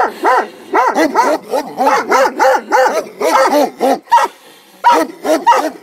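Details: Komondors guarding a boathouse beside the cave bath at Miskolctapolca bark in quick, tonal bursts, about two or three a second, with brief pauses between runs.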